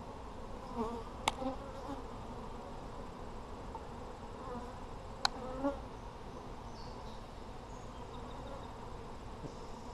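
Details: Colony of honey bees in an Apimaye hive during a July 23, 2020 inspection that found plenty of brood: a continuous low droning hum with faint passing buzzes and two sharp clicks from hive handling.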